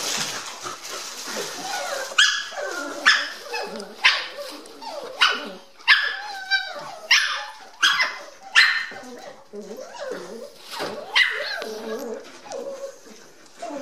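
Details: Eight-week-old Dandie Dinmont Terrier puppies from a 2014 litter getting noisy: a run of sharp, high yappy barks roughly every second, overlapping one another, with faint whining between them.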